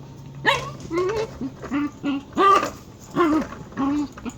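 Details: Dachshund making odd, chicken-like sounds: a series of short, whiny, yelping vocal bursts, each bending up then down, about seven in four seconds, over a faint low hum.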